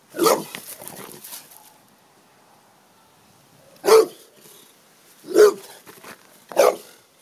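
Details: Big American bulldog barking because it wants to play: four sharp, deep barks at uneven gaps over about seven seconds, the first trailing into a short rough rumble, with quiet between them.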